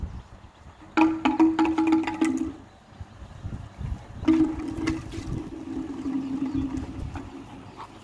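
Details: Light percussive music with marimba-like notes in two bursts over a low background rumble, with no animal sound.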